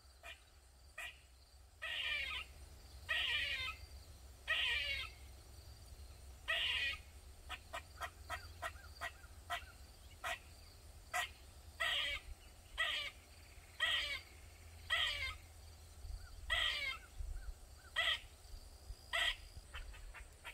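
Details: Squirrel in a backyard in Maryland, calling loudly for over 45 minutes: harsh, buzzy, harmonic bursts about every one to two seconds, with sharp short clicking notes scattered between them over a low steady rumble.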